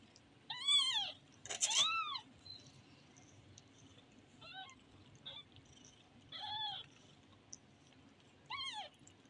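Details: A kitten gives high, thin meows, each arching up then falling, about six in nine seconds and irregularly spaced. A brief harsher burst overlaps the second one, and the background is quiet.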